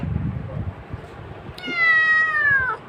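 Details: Domestic cat giving a single drawn-out meow in the second half, steady then gently falling, after low background rumble; a person asks what it wants to eat.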